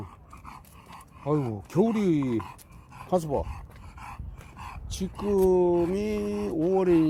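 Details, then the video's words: Khan, a pet dog sulking after arriving home from Gageodo island, gives whiny, drawn-out vocalizations indoors: two falling sliding whines, a short burst, then a long steady moaning tone with a final rise, amid panting and nearby human talk. "우리 칸이 삐짐"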